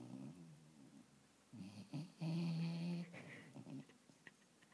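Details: A dog asleep lying on its owner's knee, snoring in soft, low rasping breaths, while a person's laughter rises over it in the middle.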